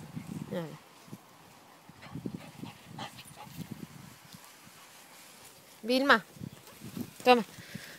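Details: Cavalier King Charles Spaniel playing fetch with a ball, giving a few short, high, strained yelping barks, two louder ones near the end, while a person talks in Spanish encouragingly in between.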